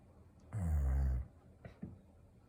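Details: A sleeping Golden Retriever snores: one long, low rumbling breath lasting under a second, followed by a couple of faint soft snuffles in a quiet indoor room.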